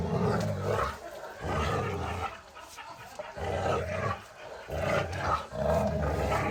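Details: Boerboel mastiff puppies growling and roaring in play, deep rough rumbling bursts in uneven waves with short pauses, some faint voices in the background.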